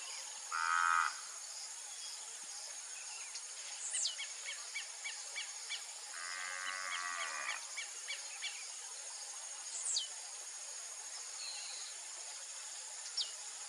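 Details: Crossbred heifers from Nelore and Aberdeen Angus parents, raised for beef, let out a short moo, then a longer, rougher one a few seconds later. Bright chirping birds and a constant high insect drone fill the background.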